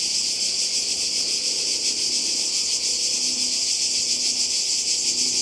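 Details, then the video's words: A chorus of cicadas near the sea in Croatia in 2020 forms a continuous, hissing high whine that throbs in quick beats. Soft lower murmurs sit under it. "Kroatien Zikaden und Meer"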